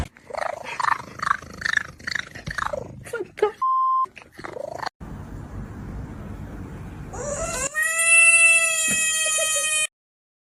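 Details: Crying kitten giving a quick series of short, wavering meows, then after a noisy gap one long, steady, high, strongly harmonic wail that holds for about two seconds before stopping abruptly.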